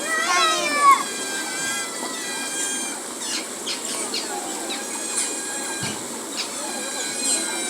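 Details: Asian small-clawed otter at a zoo, rubbing its body against a large tree; a burst of high, squeaky, falling chirps in the first second, then faint scattered clicks and a steady background hum.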